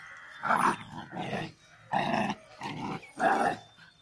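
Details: Pandikona puppies playing and fighting, giving repeated rough growling snarls in bursts of about half a second, five bouts in quick succession.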